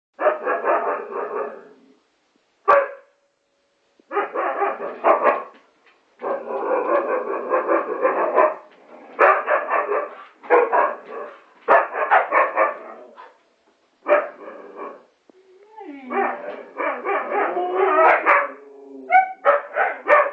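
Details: Several huskies, with a Chihuahua also in the group, give loud, rough, drawn-out yowls and grumbling calls in bursts of one to two seconds.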